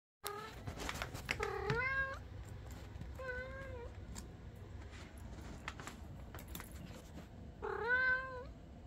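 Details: Calico foster cat in a cage, climbing and craving attention, meowing as if talking: several clear harmonic meows, rising then falling, near the start, another at about three seconds and a loud one near the end, with faint clicks and rattles between.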